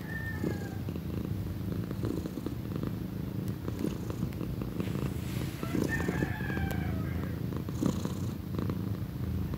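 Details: Pequeña, a female kitten nearing her first birthday, purrs in a deep, even rumble throughout. Faint, sliding higher calls drift in from the background near the start and again past the middle.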